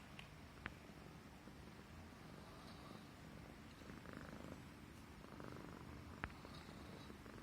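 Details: Affectionate Himalayan Persian cat purring while stroked on the neck, a soft low continuous rumble with a few faint clicks.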